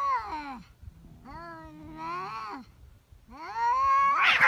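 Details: Cats in a fierce fight: long, drawn-out, richly harmonic yowls in three wailing stretches, rising and falling in pitch, with a harsh noisy burst at the end.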